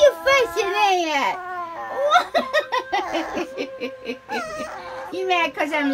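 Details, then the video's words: Dog singing to its groomer: drawn-out, wavering howls that rise and fall in pitch open the passage and return near the end, interleaved with a person talking and laughing indoors. "Dog cannot stop singing to groomer"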